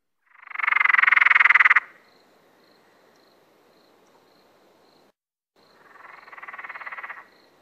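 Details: Emerald spotted treefrog (Litoria peronii) gives a loud rattling call lasting about one and a half seconds, made of fast pulses. After a pause, a quieter second rattle follows. Faint, regularly repeated high ticking is heard in between.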